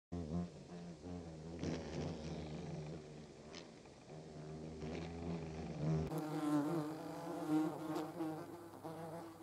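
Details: German wasps producing a low, wavering droning buzz with several overlapping tones that rise and fall, a steady deeper hum beneath, and a sudden shift in tone quality after about six seconds.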